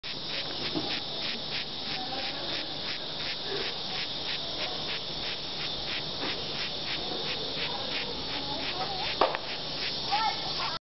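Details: A bess beetle (Passalidae) found at Maliau Basin Study Centre gives a run of short, scratchy squeaks, several a second in a steady rhythm, as a threat to keep a person away, over a faint background hiss.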